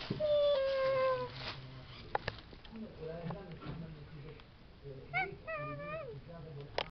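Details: Domestic cat playing with a trash bag, opening with a falling meow, then soft rustling and low voices, and later a short wavering meow near the end.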